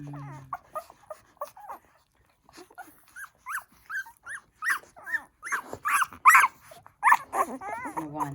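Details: Newborn poodle puppies nursing on their first day of life make loud, high, rising-and-falling squeaks, repeated in quick series, growing busier toward the end, with brief low music at the start and end.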